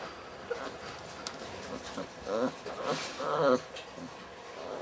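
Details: Weimaraner puppies, 30 days old, from the litter of Kiss and Quest, recorded 6 December 2012; two short, high, wavering whimpers a second apart, over soft indoor background noise.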